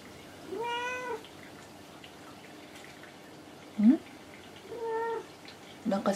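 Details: House cat Kinako answering each time she is addressed: two harmonic meows about four seconds apart, each under a second long, with a woman's voice speaking between them in a small indoor room.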